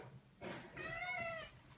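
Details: Indoors, a Maine Coon that acts more like a dog pleads to go out with a long, rich meow that rises and levels off, after a brief scuffling sound.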